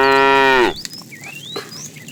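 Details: A tame cow roaming a road looking for food gives a loud moo that bends downward at its end, followed by thin, rising bird whistles over quiet background.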